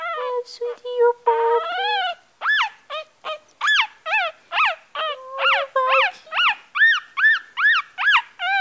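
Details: Yorkshire Terrier puppy crying in high, whining whimpers with harmonic overtones, opening with longer steady whines, then a run of short rising-falling yelps roughly twice a second; a woman's soft soothing voice briefly heard at the start.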